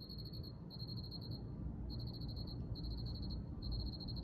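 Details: Soothing cricket song: bright, rapid pulsed chirps in clusters of about half a second to a second, with short silences between, over steady low-frequency noise.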